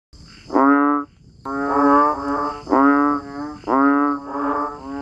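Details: Banded bullfrogs and frogs calling during rain: drawn-out, nasal, moaning notes, each about half a second to a second long, repeated with short gaps. Several callers overlap, and a steady high insect-like hum runs underneath.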